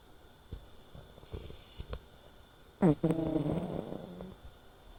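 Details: American Shorthair cat, a five-year-old silver tabby male, snoring while asleep indoors; long stretches of quiet breathing, then one loud squeaky, tonal puff lasting about a second and a half, trailing into softer wheezy breath.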